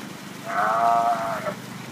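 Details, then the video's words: A sea lion in heat at a zoo, seeking a mate, lets out a drawn-out, wavering harmonic bleat of about one second that fades at the end. Faint low background hum throughout. "Sea lion in Heat"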